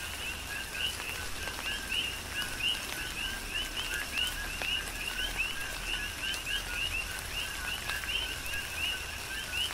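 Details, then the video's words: Coqui frogs calling in a tropical rain shower on the Big Island of Hawaii: a dense chorus of overlapping two-note chirps, a lower note followed by a higher rising one, repeated constantly over steady rain patter and dripping. "Tropical Rain & Coqui"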